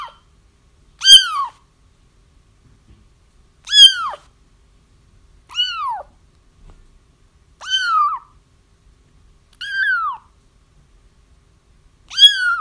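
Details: Kittens crying to draw a feral mother cat into a trap; six plaintive descending mews with strong harmonics, irregularly spaced about two seconds apart, some softer than others, otherwise silent.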